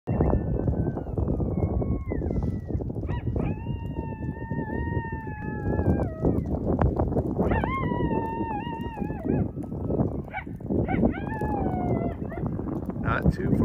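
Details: Coyotes howl in long, wavering, overlapping tones that slide up and down over steady low rumbling, heard while camping without hookups after an ice storm cut the electricity.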